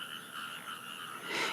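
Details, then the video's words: Nighttime frog chorus recorded from a bedroom window at 3:30 a.m., many overlapping trilled croaks merging into a steady, pulsing drone. "today let's listen to the frogs i recorded from my bedroom window at 3 30 a.m and talk about mushi okuri"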